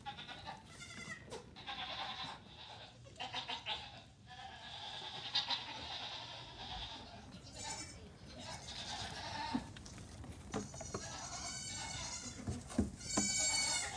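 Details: Nigerian Dwarf goat kids, among 48 born on a farm over two weeks, romping loose one morning; frequent high quavering bleats overlap and layer with one another, with occasional human talk and knocks.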